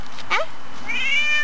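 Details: A neighbour's domestic cat, recorded September 18, 2013, during a bout of non-stop meowing. A short, sharp chirp is followed by a longer, higher, slightly wavering meow. Nearby, a woman speaks softly to the cat.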